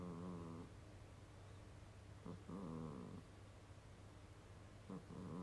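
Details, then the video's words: Kurobe, a pet cat, sleeping and snoring: low rumbling inhalations with buzzy harmonic bands, each lasting about half a second and recurring every two to three seconds over a steady low hum. "人間並みのいびきをかく猫 Kurobe the funny cat.Snoring."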